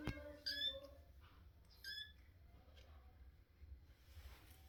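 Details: A Russian Blue kitten named Quietschi squeaking: two short, bright, high-pitched squeaks about a second and a half apart, preceded by a lower tonal note, with faint room noise between.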